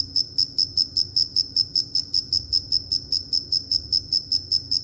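A cricket chirps steadily, a high, pure pulsing note repeated several times a second.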